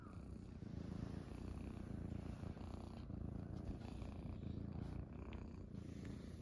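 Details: Munchkin kittens, Pochakun among them, purring while lying on a person's belly after waking in the morning; an unbroken low vibrating rumble with slight rhythmic pulsing, quiet indoor setting.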